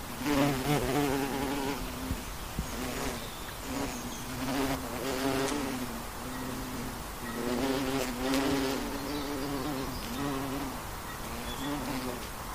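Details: Western honey bee on the wing: a low, rich buzz pulsing in and out as it circles, repeated passes every couple of seconds, loudest around the start and middle, with faint ticks.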